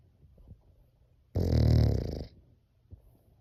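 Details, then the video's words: French Bulldog snoring indoors, said to sound like a human: a single loud, rough, low-pitched snore of about one second, framed by soft breathing noises before and after. "코골이가 사람 같애 ㅋㅋㅋ😂"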